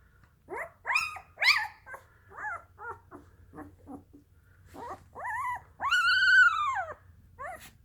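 A Dalmatian puppy whimpers and yips in its sleep, with rising and falling squeaky cries.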